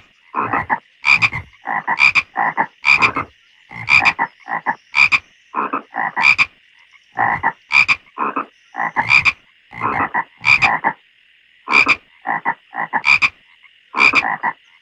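Frogs give rough, rasping croaks in quick pairs and triplets, repeating steadily over a faint high drone.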